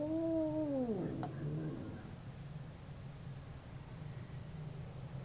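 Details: Two domestic cats howling while fighting: a single drawn-out, wavering howl that slides downward in pitch over about one second, then fades into a steady low hum and background noise for the rest.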